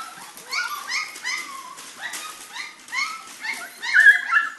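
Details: Pyrenean Mastiff puppies, three and a half weeks old: a litter of several puppies fills the air with overlapping high whimpers, squeals and short yelps, each note rising then falling, in a steady and busy chorus throughout.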